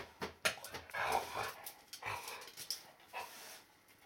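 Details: Akita mix dog filmed in the early morning, sneezing and giving unusual cries of joy while showing happiness with its whole body; short sharp snorting bursts mixed with brief whining tones, fairly quiet, with a person's soft greeting nearby.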